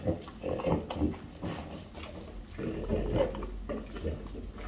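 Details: Two French Bulldogs, five-year-old mother Ume and four-year-old daughter Roku, eating chicken breast; deep nasal grunts, oinking and snuffling, in a few loud bursts.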